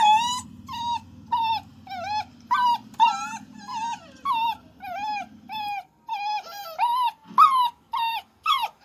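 A puppy gives a rapid series of short, high, wavering whines, almost like talking.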